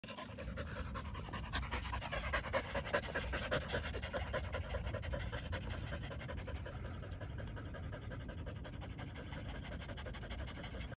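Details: Corgi puppies (two Corgis and a third) pant in quick, breathy, rhythmic huffs, close and steady throughout.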